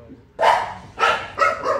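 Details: Dogs in Myanmar looked after as a charitable merit-making act; four sharp, loud barks, the first alone, then three closer together over under two seconds, with a faint murmur between them.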